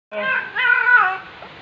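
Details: Black female domestic cat in heat, indoors, filmed 23 September 2020 in late afternoon, calling on her owner's return: one drawn-out nasal yowl that rises, wavers and trails off over about a second and a half.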